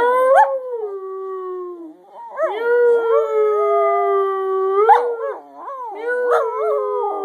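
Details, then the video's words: Singing dog Scruffy produces a sequence of howls. Each opens with a sharp upward yip, then glides into a long, gently falling tone, repeated three times with short wobbling breaks between phrases. "Scruffy, The singing Dog"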